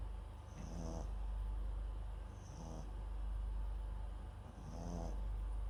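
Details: Sleeping MAX, a Papillon and Japanese Chin cross, snores beside a nearby microphone: three throaty, buzzing breaths roughly two seconds apart, each topped by a thin high wheeze, against a low indoor hum.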